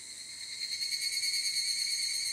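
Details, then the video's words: Japanese evening cicada (higurashi) in summer, recorded on a ZOOM F8n Pro. A short burst of high, shimmering, rapidly pulsed ringing tones, held steady throughout. "HIGURASHI, EVENING CICADA IN JAPAN /フィールドレコーディング ヒグラシ 鳴き声"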